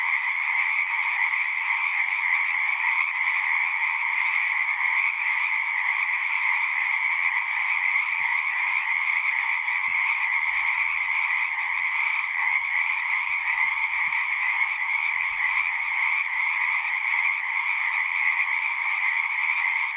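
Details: Many frogs calling together at a pasture pond, captured with a Zoom recorder; a continuous shimmering wall of trills in a bright upper band over a lower one, steady for the whole stretch, with a few faint low thumps beneath.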